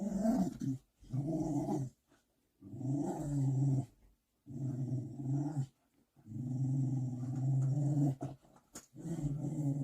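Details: Large puppy that yields to its mother dog gives low, throaty growls in five or six bouts of one to two seconds, with short quiet breaks between them.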